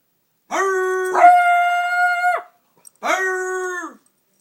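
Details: A beagle gives long, drawn-out baying howls, each held steady before trailing off, while trying to bay at another beagle.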